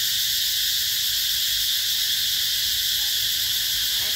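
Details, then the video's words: Unbroken, piercing cicada drone from the durian and Thai jackfruit orchards of Mỹ Luôn eco-tourism area, 2021, steady in pitch and loudness, with a faint brief voice at the very end. "tiếng ve gọi hè"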